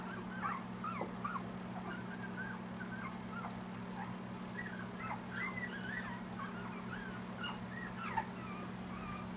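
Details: Two-week-old Siberian Husky puppies from a litter of eight in Panama, whimpering and squeaking. Short, thin, high cries rise and fall in quick overlapping bursts from several pups, over a steady low electrical hum.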